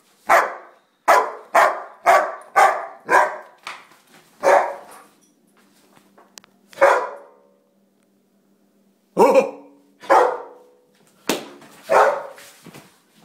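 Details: Pet dog Jack, a Rottweiler German Shepherd mix, lets out a rapid run of about eight sharp barks, pauses, then barks again in a slower irregular series of loud harsh barks.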